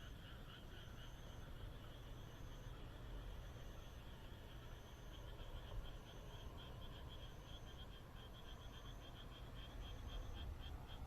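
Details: Countryside frogs in Japan calling under a moonlit night sky, many voices blending into continuous rattling, pulsed croaks, with a steady deep background rumble and a faint high whine repeating roughly every second and a half.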